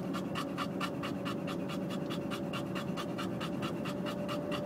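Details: Rapid, even panting from a bulldog, about four breathy huffs per second without pause, with a constant low hum underneath.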